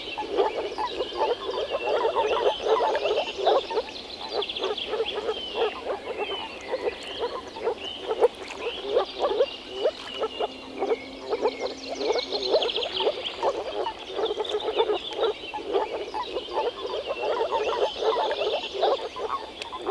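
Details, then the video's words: Long spring chorus of frogs in a Czech pond or wetland: a continuous wall of rapid, overlapping croaks, loudest early on, with steady bird chirping and twittering above. "European frog calls"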